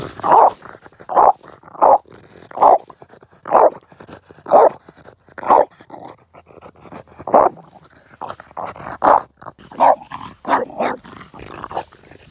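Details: French Bulldog playing with a log, giving short, gruff, growly vocal bursts about every second. The bursts are loud and evenly spaced at first, then come faster and more ragged toward the end.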